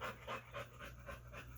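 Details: A male pit bull staying with a dog-sitter pants in the background. The quick, breathy puffs are slightly uneven, with low room hum throughout.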